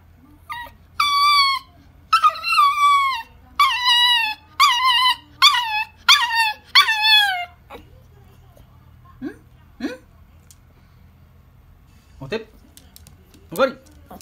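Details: Toy poodle 'talking' with a run of about seven drawn-out, high whining yelps that slide downward, packed closely over seven seconds, then a few faint short whimpers and quiet.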